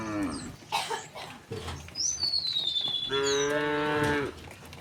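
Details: Afternoon village cows being driven home to their pen; a long, steady moo lasting over a second closes the stretch after scattered shorter sounds and footstep-like thuds, while a thin descending bird whistle sounds overhead.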